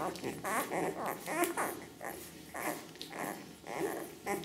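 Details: Litter of Ca de Bou pups, ten days old, parents Ivi and Tito: thin wavering whimpers and squeals repeat in uneven bursts, with low rustling and faint murmured voices underneath.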